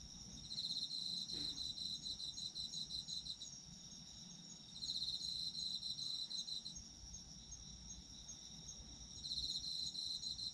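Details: Chorus of autumn insects with a constant high ringing trill and three louder bursts of fast pulsed chirping, each lasting a few seconds, separated by quieter stretches.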